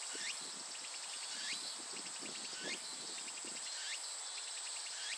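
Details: Japanese cicada song as a continuous piercing high drone, broken by rhythmic pulsed chirps and an upward-sliding sweep recurring roughly every 1.3 seconds, with soft low rustles in the background.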